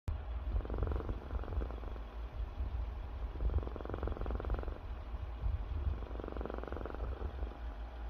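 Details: Domestic cat snoring while asleep. Soft breathy rasping swells come about every two and a half to three seconds over a steady low rumble, with no other sounds.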